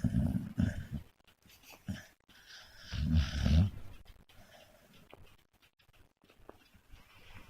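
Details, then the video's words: American Staffordshire Terrier asleep in a bed, snoring with low, rough, rumbling breaths; a few short bursts early on and one louder snort near the middle, then quieter breathing. "American Staffy Terrier! Funny Snoring Dog"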